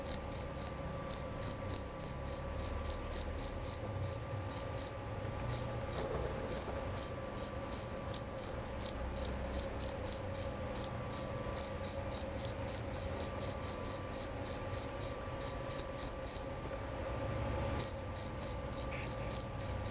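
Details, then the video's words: Loud, clear chirping of a male jerabang cricket: a long series of sharp, high-pitched pulses, roughly three to four per second, slightly uneven. There are two short gaps, and a quiet background hum. "Bunyi Suara Jangkrik Jerabang Nyaring dan Jernih"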